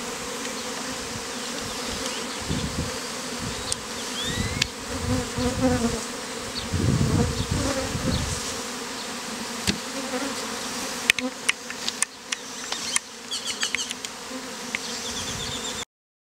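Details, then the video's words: Honey bee beard performed in heat with bees hived out of a statue; steady swarm hum under frequent low rumbles and handling thumps, then sharp clicks and crackles before the sound cuts off. "BEARD OF Honey BEES"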